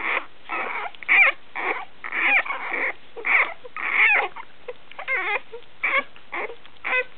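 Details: One-week-old Basenji puppies, desperate for milk, give high, thin squeaks and whines in short, uneven bursts.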